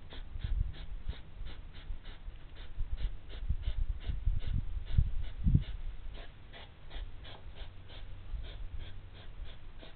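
Hedgehogs huff and snort in low, breathy bursts as two animals quarrel.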